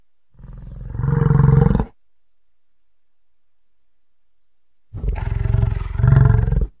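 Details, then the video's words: American bison making two deep, rumbling roaring bellows, each about one and a half to two seconds long, swelling in loudness and separated by three seconds of silence. "Buffalo and Bison Sounds"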